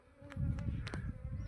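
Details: Low, dense buzzing of Asian honey bees from a swarm about to be shifted into a modern hive, with a few sharp knocks and clicks over the humming.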